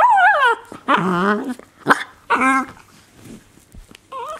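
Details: A 7-month-old female Miniature Pinscher gives high, wavering whines and short yips in quick bursts while playing with her toy pig.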